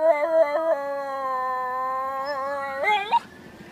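A Miniature Schnauzer howls in a long, steady, siren-like wail, imitating a fire truck siren.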